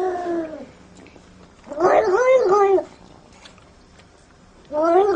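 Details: Domestic cat described as very jealous, giving short drawn-out meows in three separate bursts, each sliding slightly downward, with quiet room noise between them.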